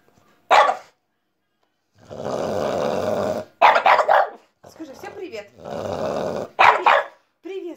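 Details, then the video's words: Pet female French Bulldog answering a toy pipe: three separate harsh barks, each after a long reedy pipe blast, with a short whimper near the end and a woman speaking between. "Французский бульдог Ася гавкает под дудочку"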